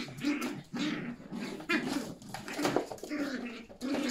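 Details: Yorkshire Terrier puppies romping with their mother indoors. Steady run of low, throaty play growls, each lasting about half a second and repeating almost without pause, mixed with snuffling and rustling in a small room.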